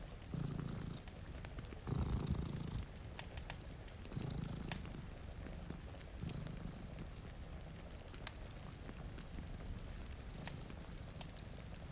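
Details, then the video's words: Low, throbbing purring from two sleeping cats by a rainy window, louder breaths in the first seconds then evening out, overlaid by popping fire crackles and a gentle rain wash. "Purring Cat"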